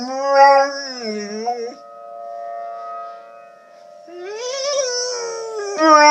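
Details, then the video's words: Dog howling with tornado sirens sounding in the background; a wavering howl opens, a steady siren tone holds alone in the middle, then the dog's howls rise again and swell at the end. "Howling dog"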